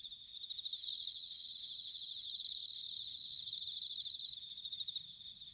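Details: Bell crickets in autumn, recorded at Sanuki, Chiba, Japan, give bright, bell-like high trills, with bursts at about 1, 2.3 and 3.5 seconds over a constant pulsing insect chorus.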